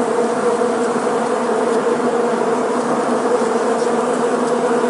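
A dense, steady hum of many honey bees flying together, droning evenly without a break.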